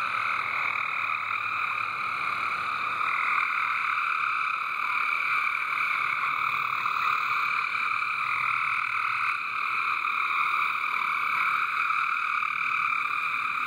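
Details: Many frogs sing together in a loud backyard water garden chorus, overlapping trills forming a constant droning band that shifts slightly in pitch as individual callers drop in and out.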